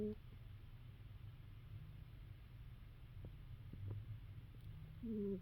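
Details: A sleeping female cat snoring indoors: a soft, steady low rumble throughout, with a short whistled two-tone note at the start and another rising, nasal whistle near the end.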